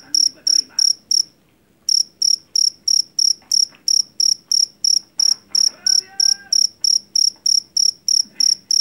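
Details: Rice-field cricket from Java, jangkrik jeliteng, famed for its loud call kept to drive rats from the house; shrill pulsed chirps at about three per second, a brief pause early, and a faint whistle-like sound midway.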